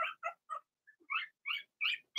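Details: A litter of young Blenheim Cavalier King Charles Spaniel puppies in an indoor pen. Short yips come in a steady series about a quarter second apart, followed by several brighter, higher squeals.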